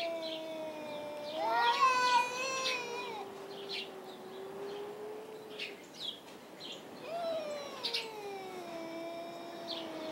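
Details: Domestic cats Tux and Schrödinger yowl at each other in a dark hay barn rather than fight; a low sustained moan swells into a louder wavering wail, then fades and rises again near the end.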